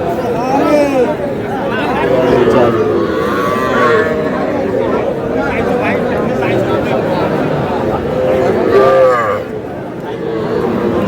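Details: Calves at a busy cattle market in Madaripur, Bangladesh, small bulls and heifers including Sahiwal; repeated bellowing moos with rich, arching tones come every few seconds, louder near the end, over constant human conversation.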